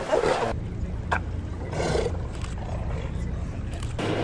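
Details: Hundreds of South American sea lions on an island in the Beagle Channel near Ushuaia, Argentina, fight over sleeping spots, giving harsh, gruff, dog-like roars in bursts over a steady low boat-engine rumble. Identified as South American sea lions.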